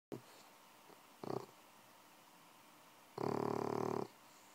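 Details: Six-month-old bulldog puppy snoring while asleep indoors: a faint short snort, then a raspy breath, and finally a longer, louder rattling snore near the end.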